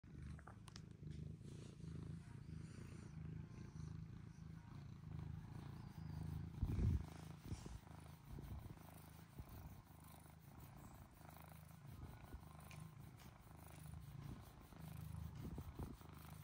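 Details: Male British Shorthair kitten purring while getting his chin scratched; a soft, low, continuous rumble with a brief louder rustle partway through, quiet overall.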